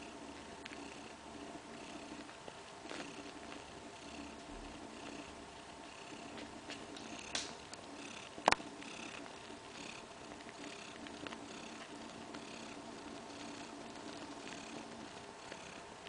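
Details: Domestic cat Kaewe rests with her two-week-old kittens in a living-room nursery corner indoors; a soft, steady purr hums throughout, broken by a few sharp clicks and one louder tap midway.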